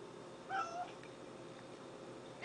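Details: Orange and white domestic cat that has learned to beg, meowing for a pill pocket treat indoors: one short, rising-falling meow early on, then a person talking softly to it.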